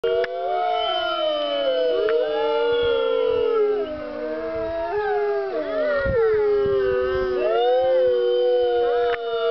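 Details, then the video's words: Several captive gray wolves at the California Wolf Center howl together on the Fourth of July. Long, smooth, overlapping tones slide up and down, with voices crossing and weaving into a continuous chorus lasting the whole clip. "California Wolf Center wolves howling"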